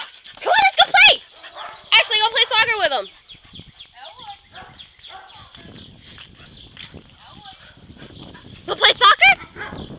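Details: Barking during play among three dogs, Dodger, Shelby and Elwood, a yellow Lab mix, a black Lab and Australian Shepherd mix and a Basset Hound; quick, repeated barks crowd the first three seconds, fade under chatter, then return near the end.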